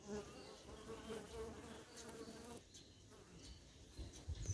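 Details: Africanized honey bees at an apiary bee yard in October 2021, a continuous droning buzz with faint tonal hums that drops away partway through, followed by soft scattered knocks.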